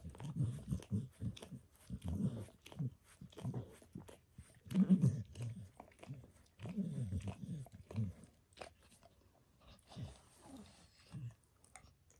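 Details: A dog gives itself a spontaneous bath indoors, licking paws, then a person's foot, shin and knee. Loud, rhythmic, low wet slurps run in clusters, then thin out to sparser licks near the end.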